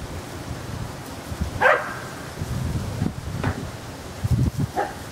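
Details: Dog playing frisbee outdoors gives three short, sharp barks spaced about a second apart, over rustling and low background noise.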